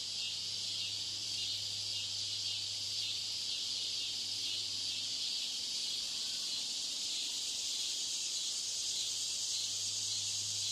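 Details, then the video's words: Mating cicadas produce an unbroken, shrill whirring drone, even in loudness from start to finish, with no pauses. "Cicadas Mating"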